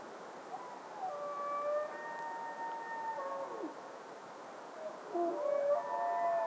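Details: Red deer bugling in clear, high, drawn-out whistled tones that glide and overlap, with a falling slur near the middle and fresh wavering calls near the end.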